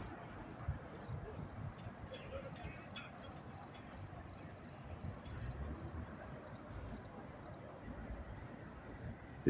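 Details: Crickets at Willets Point train station, New York City, around 10:30 p.m. on May 28, 2024, in cool weather, give high, pulsed chirps about twice a second over a low hum of distant traffic.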